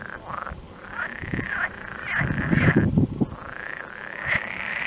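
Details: Frogs crying in the background while a stork feeds its young: repeated whining calls that rise and fall, some with a short sharp peak, over low rough thumping and clattering bursts.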